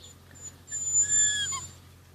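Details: A Rhodesian Ridgeback puppy from the E-Litter, 53 days old, utters one thin high whimper that slides downward and fades, above a low steady hum.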